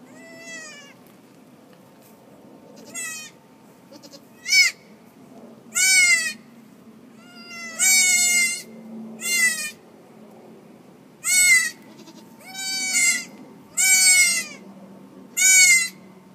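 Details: Goat on a farm during a March birth; a long series of high, wavering bleats, some short and some drawn out, coming irregularly every one to two seconds over a low background hum.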